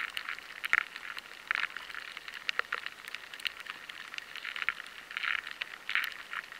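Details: High-sensitivity recording of rice weevil larvae scraping inside rice grains, where the harder grain alters the sound: bursts of gritty scratching and clicking clusters recurring every second or so over a steady hiss.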